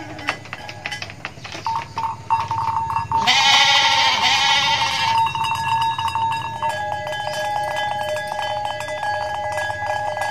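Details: Mother goat in Indonesia giving one harsh, wavering bleat lasting about two seconds amid persistent bell-like ringing tones and clattering background noise.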